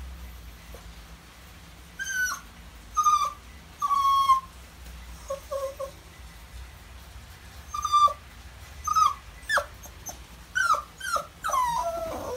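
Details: Left with someone else while its owners are out, a Maltese whimpers in high, thin, wavering cries, some sustained and some short and falling, in irregular bursts of about one per second, separated by quiet gaps over low hum.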